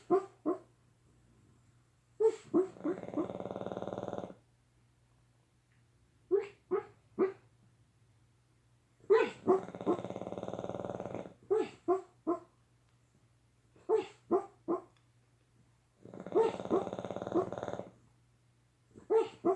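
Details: Boston Terriers, a father and son, snore and dream in their sleep, in slow cycles of quick snuffling snorts and a long rasping breath.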